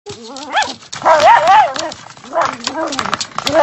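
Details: A dachshund gives wavering, whiny yowls and grumbling vocal sounds in rapid, uneven bursts while playing and fighting with a door stopper.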